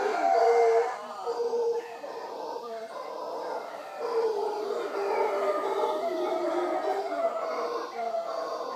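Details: Morning visit by wild howler monkeys at Punta Uva, Costa Rica, near Manzanillo Wildlife Refuge: rough, roaring howls overlapping continuously, loudest at the start, then a sustained layered chorus.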